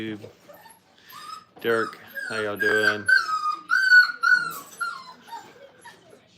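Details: Five-week-old Brittany puppies in a crate at a training kennel: thin, high whining whimpers that slide and waver, several overlapping in the second half, after a few lower, rougher voiced bursts.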